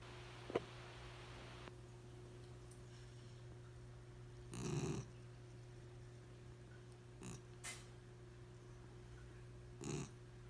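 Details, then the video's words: Boudreaux, a 4-month-old puppy, sound asleep on a couch indoors and snoring: three short raspy snorts spaced a few seconds apart, the first the longest, over a steady low electrical hum in a quiet room. "Snoring puppy"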